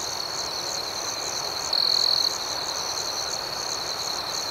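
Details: Night chorus of crickets, high and steadily pulsing, with one louder, drawn-out trill standing out near the middle.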